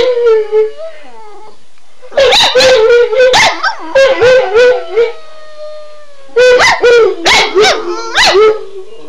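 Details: Shelby and Shiloh, two household dogs set off by the phrase "Run Guy run", start with a lone, slightly rising howl, then break into overlapping yips and wavering howls. A long, level tone glides downward before a final noisy burst of yelps.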